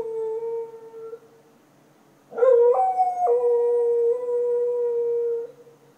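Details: Dog at night in Chiayi county, Taiwan, 2014: a short steady tone fades, then after a pause one long, loud, harmonic howl that jumps in pitch before holding steady for about three seconds and stopping.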